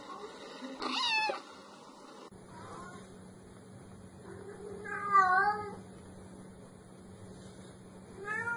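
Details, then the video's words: Domestic cat meows, a sound said to chase away mice: a loud opening meow, then a wavering, pulsing meow mid-way and a short rising call at the end, over a faint steady hum. "Tiếng mèo kêu đuổi chuột"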